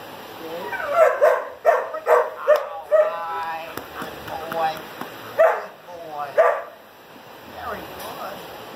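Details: A year-and-a-half-old German Shepherd that has completed four weeks of obedience training gives a series of short, sharp barks, about four in quick succession, then scattered single barks, with a person's voice in between.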